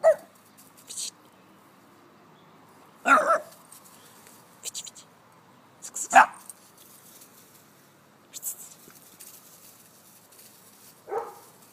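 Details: Young male brown brindle Staffordshire Bull Terrier, six months old, on his first encounter with a locust: a few short sharp barks spaced about three seconds apart, with a person's voice and quiet pauses between.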